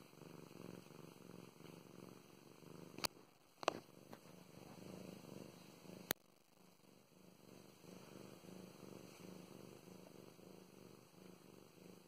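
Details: Pet cat Mow Mows, female, purring while petted at home; low rhythmic rumbling purr with a brief quieter break broken by a few sharp clicks and taps, then the steady purring resumes.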